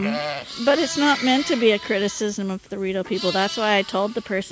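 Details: Lambs being bottle fed at Ewetopia Farms, nursing from their mothers but needing extra milk, keep up a dense chorus of quavering bleats, many short calls crowding closely one after another.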